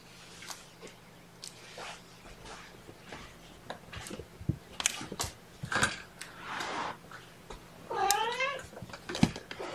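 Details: Lunchtime with Seraphina's four kittens, rescued from a shelter in Lewis County, WA, now at Purrfect Pals and getting used to being picked up. Soft scuffling and taps lead to one bright, wavering kitten mew near the end.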